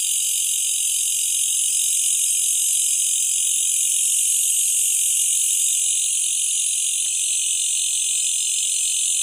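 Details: A Malaysian bush cricket at night keeps up an unbroken, shrill, sizzling drone, high in pitch with a faint pulsing texture, never pausing. Nothing else stands out against the constant insect buzz.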